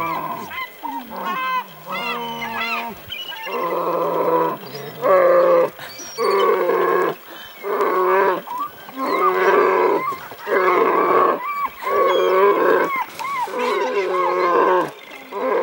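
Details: Brown bear cub in Alaska, wanting a fish, gives a series of drawn-out, moaning bawls with clear harmonics, each about a second long with short pauses, some wavering or sliding down in pitch.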